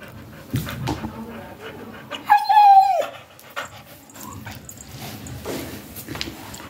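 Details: Siberian Husky during its daily routine, giving one short, high whine that rises slightly and then slides down, lasting under a second, amid quiet indoor background noise and faint rustling.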